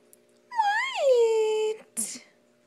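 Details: Playing kitten indoors gives one long drawn-out meow lasting over a second, wavering up and then settling into a steady held tone, followed by a short breathy voice burst against a faint steady hum.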